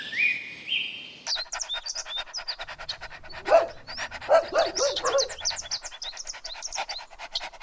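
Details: Dogs chasing each other on a grassy field let out four barks in a loose cluster, surrounded by busy high bird chirps and a couple of rising whistles at the start.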